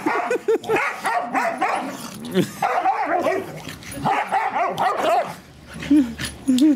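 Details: English Springer Spaniel Daisy urges her son and daughter to play, letting out repeated squeaky yips and rising-falling whines, with a short pause near the end and human voices chatting in the background.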